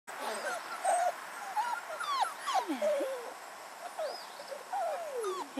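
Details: Red standard poodle puppies playing and exploring outdoors in a back yard: high, whiny yelps and whimpers that slide down in pitch, scattered irregularly across the clip, with a woman speaking softly nearby.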